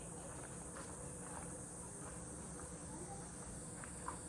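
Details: Cicadas singing around a countryside house: a steady, thin, high-pitched drone holds unbroken through the whole stretch over low rumbling background noise, with a few faint soft clicks.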